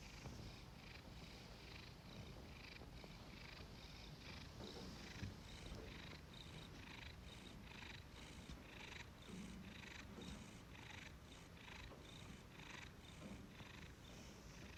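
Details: Domestic cat purring and snoring while lying on a freshly washed blanket, content; steady low rumbling with rhythmic breathing pulses roughly every half second, continuous and soft throughout.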